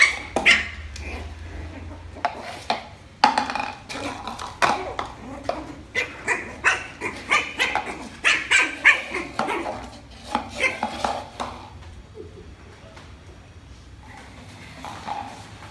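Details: Milo, an adopted Lhasa Apso puppy, barks for the first time while playing with a rolling box indoors: a quick run of short, high yaps with little pauses for about eleven seconds, then fading to soft rustling and quiet.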